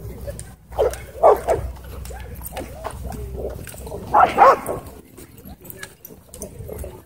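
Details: Wolfdog threatening a man at a dog park: two clusters of short, harsh, harmonic vocal bursts, one near the start and a louder one about three seconds later, with human voices and background noise between them.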